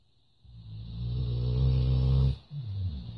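A Labrador snores with a long, deep, rumbling drone for about two seconds, then a shorter rasping breath. A faint steady high whine sits underneath.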